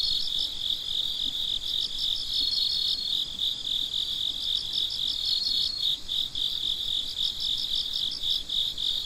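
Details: Crickets at midnight in chorus: a continuous high ringing band with quick rhythmic pulses layered above, a faint thin whistle-like tone appearing briefly twice, no birds or people.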